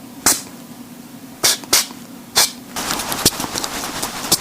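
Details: A flying squirrel gives short, hissing, sneeze-like nasal snorts, spaced irregularly. The owner thinks these are not illness but come when it inhales or is excited, as in play or when held uncomfortably.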